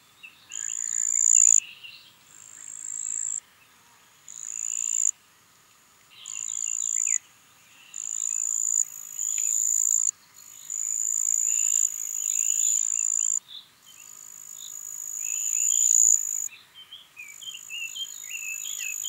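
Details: Marsh cricket (Pteronemobius heydenii) in Puntigam, Austria, 4 June 2022. Repeated high, buzzy trills with short breaks, accompanied by frequent twittering of birds in the background.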